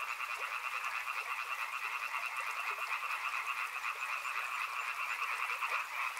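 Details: A riverside frog chorus with loud, steady, overlapping croaking, higher-pitched and dense, pulses running together into a constant rattling hum.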